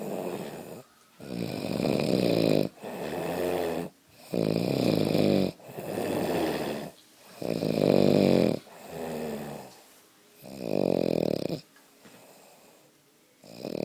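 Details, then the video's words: Brad the dog snoring: loud, rough, droning breaths about a second long, repeated roughly every one and a half to two seconds with short quiet pauses between, seven or so snores in a steady rhythm. "Brad snoring"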